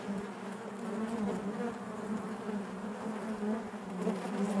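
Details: Honey bees in their hive give a smooth, even hum, a thick low buzz that grows slightly louder toward the end with no breaks.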